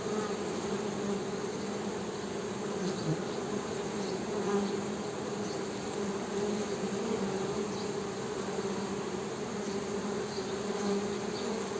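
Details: Continuous honey bee hum, a low steady drone with a fainter overtone above, unbroken for the whole stretch with slight swells in loudness.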